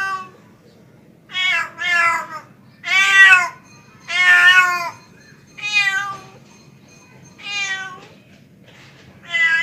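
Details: Male domestic cat calling a female, a pet: a run of harmonic, drawn-out meows, about one every one and a half seconds, some rising then falling, over a faint low hum.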